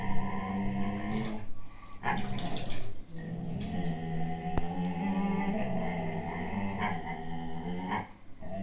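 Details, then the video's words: Two Siberian Husky puppies, 8-9 months old, argue indoors over an empty food bag: low, rumbling growls held for several seconds with harmonic whine-like overtones, broken by brief scuffling noises and a sharp click. "Husky Puppys growls over a empty foodbag"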